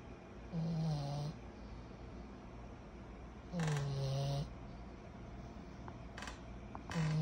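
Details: Kyro, a 14-month-old pug puppy said to snore like a human, sleeping: three throaty, rumbling snores about three seconds apart, with soft snuffly breaths and small clicks in the pauses.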